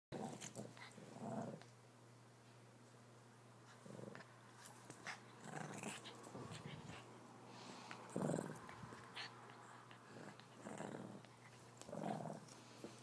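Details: Shih Tzu puppy growling while attacking his stuffed toy lamb indoors, short low rumbling growls in bursts every one to two seconds, with soft thumps and scuffling between them in a small room.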